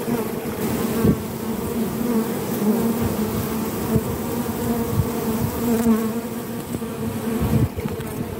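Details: Forager honey bee with sticky orange propolis on its legs: a steady, continuous droning buzz with a low humming tone and faint overtones, holding evenly throughout with small flickers in loudness.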